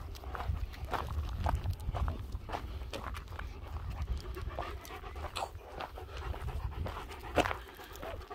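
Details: German Shepherd, one of two dogs named Nico and Zeeva, panting on a spring walk near Hawick with lambs about; recorded on a Samsung S23 Ultra. Breathy rhythmic huffs, roughly two per second, over steady low wind rumble.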